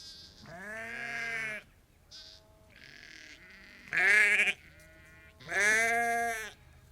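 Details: Ewes and lambs calling on a sheep farm, a flock of about 30 to 50: overlapping harmonic bleats, two loud wavering calls near the middle and end, fainter bleats between them from other sheep.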